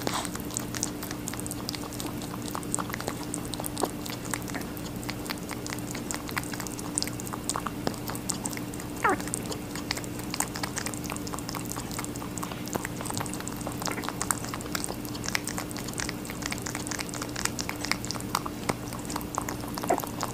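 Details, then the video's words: Rabbit steadily chewing watermelon for about twenty seconds: repeated moist crunching bites and crisp clicks throughout, with a brief squeaky scrape near nine seconds and an unchanging low hum. "Rabbit eating a watermelon"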